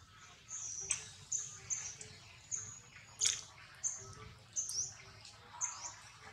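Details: Baby monkey Rex, being weaned off milk by his mother Rose, gives thin, high-pitched squeaks about every half second, each short and sharp, with a steady low hum and faint rustling underneath.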